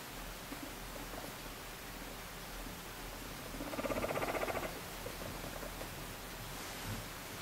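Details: Affectionate pet guinea pig being stroked while falling asleep; one low, rapidly pulsed purring burst of about a second in the middle, with quiet indoor hiss before and after.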